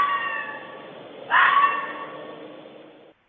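A bobcat gives a single harsh, rising yowl lasting about half a second, heard through a muffled, hissy broadcast.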